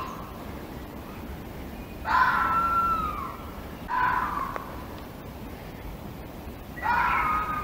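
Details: Fox screams from the wild: three harsh, harmonic cries, each about a second long and sliding downward in pitch, spaced a few seconds apart over a steady background hiss.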